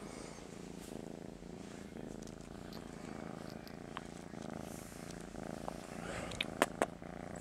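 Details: Master Shifu, a pet cat, purrs profusely during a groggy morning routine while too sleepy to stand and wanting attention; a steady, low, rhythmic rumbling purr runs throughout, with a few sharp clicks near the end.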